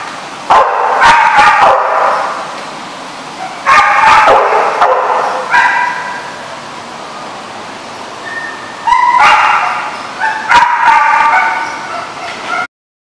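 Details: Dogs at a dog facility barking, recorded 5/9/15; clustered bursts of sharp barks and yips separated by short lulls of a second or two, several animals calling together, ending abruptly.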